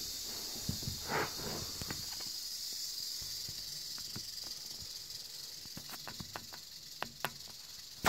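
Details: Eastern diamondback rattlesnake giving a continuous high, dry buzzing rattle that runs the whole length without pause, over scattered soft thumps and sharp clicking noises.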